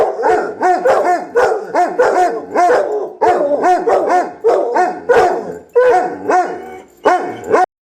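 Two Basset Hounds howl back and forth, each voice rising and falling in a mournful, quavering bay. The calls come in bursts of a second or so, overlapping as the dogs answer one another.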